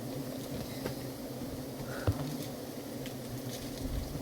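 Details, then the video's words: Honeybees in a pagipagi tree, heard as a low, steady, droning hum that runs unbroken throughout, with faint pattering, scattered clicks and a single sharp knock in the middle. "Pamumuhag sa pukyutan sa pagipagi nga kahoy"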